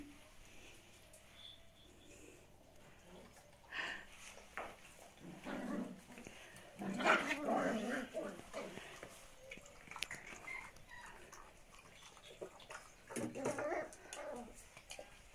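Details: Großspitz (German Spitz) puppies indoors at a breeder, playing roughly together: scattered short growls, yips and squeaky whimpers in bursts, loudest around the middle and near the end, with faint background noise.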